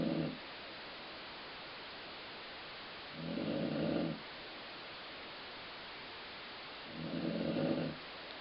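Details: Colline Ford, a dog, snoring while asleep, with a rumble likened to a growling stomach: three low, rough, buzzing snores, each about a second long, spaced roughly every three and a half seconds over a steady hiss.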